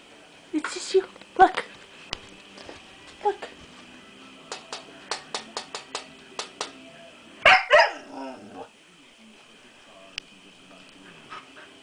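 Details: Six-month-old Siberian Husky puppy Nani meets her own reflection for the first time: a few short yips and barks, a run of light tapping clicks, then a louder double bark, over a faint steady tone.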